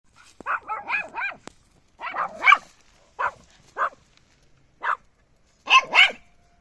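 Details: Puppy barking in short, high, yappy bursts, several quick barks in a cluster near the start, then single sharp yaps spaced about a second apart, ending with a double bark; quiet background.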